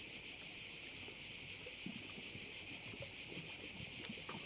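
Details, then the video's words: A bay on Korčula, Croatia, rings with a dense, high cricket shrill pulsing quickly and evenly, with light wind and soft low noise underneath. "View of one of the bays in Korcula with sounds of crickets"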